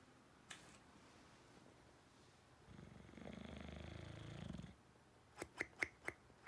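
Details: Dog asleep inside, one snapping click, then a long buzzy inhaled snore of about two seconds with a fluttering rattle, and finally a quick series of sharp clicks.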